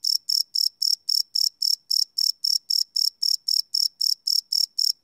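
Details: Night-time cricket chorus captured live on a Sony PCM D100 field recorder, sharp shrill chirps pulsing roughly four per second, regular and unbroken, over an otherwise silent background.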